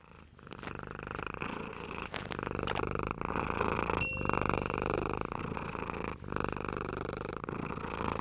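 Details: Domestic cat purring steadily, a continuous rapid low rumble with fine vertical pulses, interrupted by a few brief clicks and a short high tonal ping near the middle.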